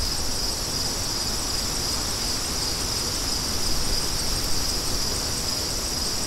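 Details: Dense cricket chorus, a sustained high-pitched shimmering trill with steady intensity, carries over a softer, even wash of wind in a calming soundscape for deep sleep.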